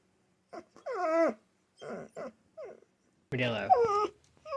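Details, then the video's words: Pet dog, said to be answering a spoken question, giving drawn-out whining, yowling vocalizations in short bursts with falling pitch, between brief pauses and quiet human speech. "How I test my English-speaking Dog"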